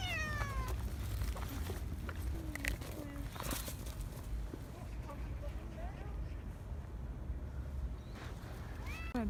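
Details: Rangrang, a fed stray cat that came back injured in November 2018, meows at the start and again near the end, short bent cries, with a person speaking in between and a steady low rumble behind.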